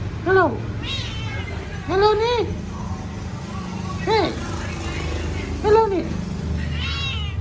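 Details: Repeated meowing from a pet cat, with five or six arched calls over seven seconds. Some calls are doubled and others come singly, with steady low-pitched background noise throughout.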